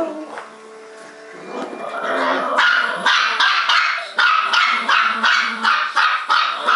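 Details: Two small pet dogs, Trixie the Bichon Poo and Sophie the Malti Poo, barking non-stop: a rapid run of sharp, high yapping barks, roughly three per second, growing louder after a quieter start.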